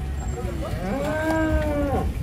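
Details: A group of giant, big-bellied cattle being unloaded from a truck; one gives a single low, drawn-out moo that rises and then falls, over constant rumbling engine noise and outdoor background din.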